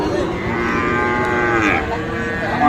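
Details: At Dinajpur's traditional Ambari cattle market in Bangladesh, 3 January 2025, a Sahiwal calf gives one long, drawn-out harmonic moo, steady then briefly brightening, with market bustle behind.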